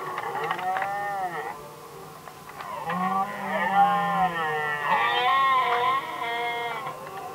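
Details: Red deer stags fighting over hinds during the rut, Västmanland, Sweden, 2010: overlapping, almost continuous harmonic roars with undulating pitch, suggesting more than one bellowing stag, punctuated by short grunts.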